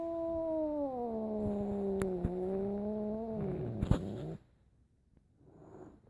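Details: Domestic cat gives one long, drawn-out, low yowl lasting about four seconds, wavering slightly in pitch before cutting off into near silence; a person calls to it softly.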